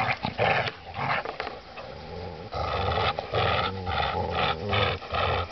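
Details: A Golden Retriever and a Rottweiler playing tug-of-war produce deep, rough growls in long rumbling stretches broken by brief pauses. Tugging noises are mixed in.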